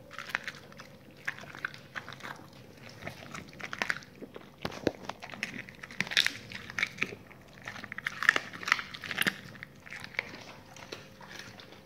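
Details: Dogs eating raw meaty salmon bones and raw chicken carcasses, with steady crunching and brittle cracking bites, clustered more densely in the second half, over a faint low hum.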